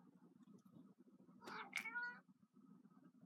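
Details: A 15-year-old female pet cat that loves playing with her toy mouse, giving one short meow of about three quarters of a second with a rising then falling tone, over a steady low indoor hum.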